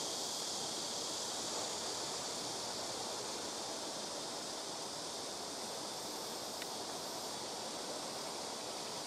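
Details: ['Blackish cicadas in rooftop trees at a house, taking turns calling from neighbouring trees; a softer, steady high buzz sits under a broad wash of rushing noise throughout.']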